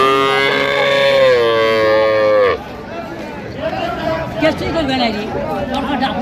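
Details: Cow at the Ambari cattle market in Dinajpur, Bangladesh, recorded on 19/1/26 where cows and calves are sold. A loud, low, drawn-out moo holds steady for about two seconds and then cuts off abruptly, giving way to crowd chatter and bargaining voices.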